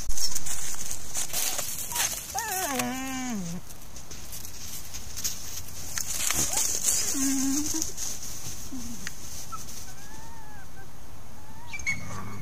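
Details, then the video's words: Trail camera at the Hallam Lake nature preserve catches resident coyotes interacting: a sliding, descending whine with rich overtones, then softer short whimpers and a faint rising note, all over steady hiss and rustling. "Coyote Interaction at Hallam Lake"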